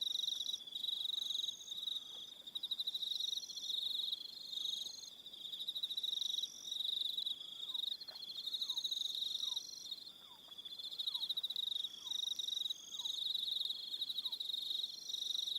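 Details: Evening crickets on Aroha Island, New Zealand, keep up a steady high pulsed trill, while soft descending whistled notes, perhaps another animal, repeat about once a second through the middle.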